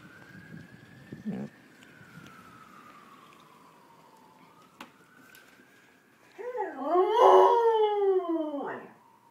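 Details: Pet dog howling along with fire engine sirens: a long siren tone glides slowly between high and lower pitch, then loud wavering howls with rich harmonics rise and fall for about three seconds at the end.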